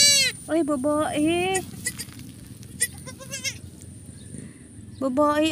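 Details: Goat bleats at a kidding on a farm: low, quavering drawn-out cries alternating with higher, shorter wavering bleats, several overlapping in quick succession, then a renewed loud bleat near the end.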